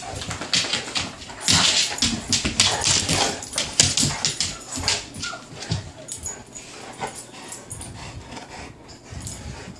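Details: Two dogs, a bullmastiff and a new Dogue de Bordeaux, playing: dense rapid bursts of breathy, rasping vocal noise and scuffling for about six seconds, fading to sparse softer sounds with a brief whine.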